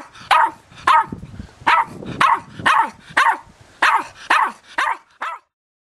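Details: Tara, an Irish Terrier puppy aged eight weeks, barking because she is filmed: a steady string of about ten short, high yapping barks roughly every half second, ending in silence.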